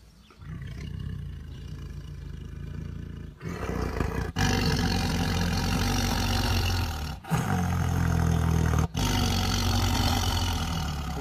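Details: Tiger rumbling quietly at first, then breaking into loud, deep roars from about 3.5 seconds, with brief abrupt breaks near 4.3, 7.2 and 8.9 seconds.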